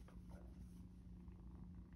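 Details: Two female foster kittens, one gray and one small black, purring together in their room in San Diego, spring 2024, while being socialised; a low, steady rumbling purr with soft room noise and brief rustles.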